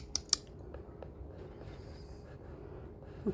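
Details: Sharp clicks and snipping taps in a quiet room over a low hum, with no animal voice. A soft thump closes the short stretch.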